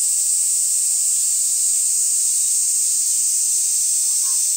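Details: Cicada recorded in Ibaraki Prefecture, Japan: a continuous, very high, even hissing shrill with no breaks, like steady steam, holding the same pitch throughout.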